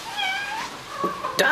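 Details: Pet cat during a dash game with its owner indoors, tiring of the persistent play: a drawn-out harmonic meow that slides gently upward, then brief speech-like voicing and a sharp sound at the end.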